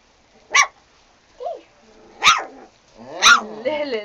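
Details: Sarplaninac dogs barking: three sharp, loud barks roughly a second apart, with a soft short whine between them and people talking close by.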